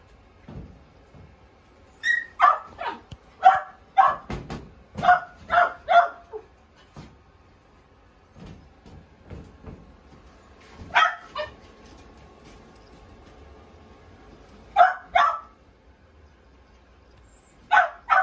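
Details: Pomeranian dog giving bursts of sharp, high yapping barks, a quick run of about seven between two and six seconds, then isolated pairs of yaps later, with quiet pauses and faint household knocks between.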